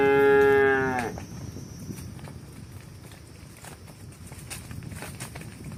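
A cow gives one loud, drawn-out moo, then only quiet rustling follows.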